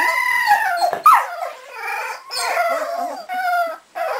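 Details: Cardigan Welsh Corgi puppies aged 3.5 weeks, Swedish kennel, howling: a held harmonic wail, a sharp squeaky yelp, then softer wavering cries broken by short pauses.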